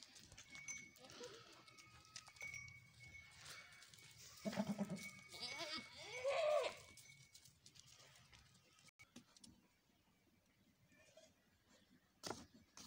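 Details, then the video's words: Village goats, a white male and a female, bleating in two harmonic-rich bursts near the middle, the second a wavering cry; faint birdsong and low rural background sounds throughout. "white Male Goat and female"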